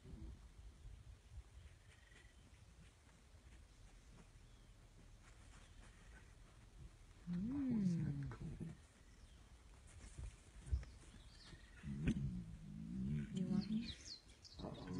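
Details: Lions in a Masai Mara coalition scuffling after a lioness in heat chose the older male, the younger male fighting and winning; loud moaning snarls with rising-falling bands near seven-eight seconds and again at twelve to fourteen, wind noise, faint voices.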